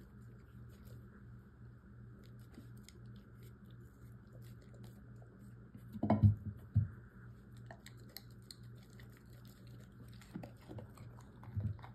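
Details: In a small quiet room with a low background hum, a few soft crunching and squishing chewing noises are heard, the loudest about halfway through; there are no animal calls.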